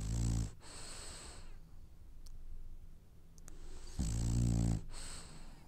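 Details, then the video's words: A French Bulldog snores while dreaming: a deep, rattling, buzzy snore opens the stretch and another long one returns about four seconds later, with soft hissing breaths and near silence between them. "Snoring French bulldog has dreams"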